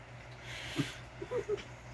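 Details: A female Basenji, the "barkless dog", gives a few short, tonal, talk-like moans and yelps that rise in pitch, excited or frustrated while playing over a yellow toy.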